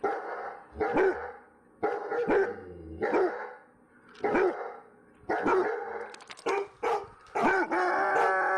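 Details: Dogs barking in loud harsh bursts at irregular intervals, with several overlapping barks toward the end forming a denser, sustained stretch of noise.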